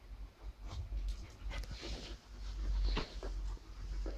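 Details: English Bulldog mix named Zara pants in quick breathy bursts while working at her new intelligence ball that slowly releases treats, with low rumbling handling noise underneath.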